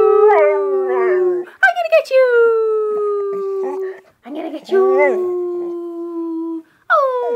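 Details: Puppy howling, only the second time it has howled, long drawn-out tonal howls with slightly falling pitch, three main howls with short yips between them.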